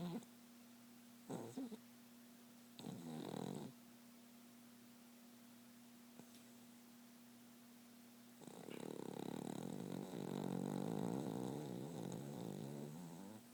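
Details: Sleeping, dreaming pet dog snoring: two short rough snorts in the first four seconds, then a long, continuous raspy snore over the last five seconds, with a steady low hum throughout.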